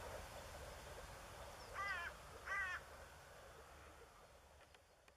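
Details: A male moor frog in blue nuptial colouring, Elbe river lowlands of Lower Saxony, April 2013. Two soft, rapidly pulsed, bubbling calls about 0.7 seconds apart, then quiet background.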